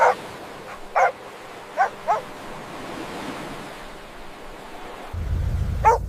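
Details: Puppies playing and play-fighting on fresh green grass give a few short, separate barks spread across the clip, with a low rumbling hiss underneath and a louder bark at the end.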